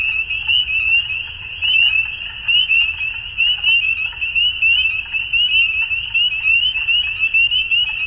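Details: Frogs calling at dusk: a dense, continuous chorus of high, rapidly pulsed trilling croaks from many overlapping callers, with fainter lower chirps scattered beneath and a soft low rumble throughout.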